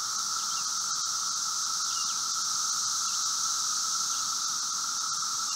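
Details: Brood V seventeen-year periodical cicadas during their late-spring emergence, outside a residence in Logan, Ohio, 4 June 2016 at 3:10 p.m.: a steady, even high-pitched roar with a strong shrill band and a lower humming tone, unbroken throughout.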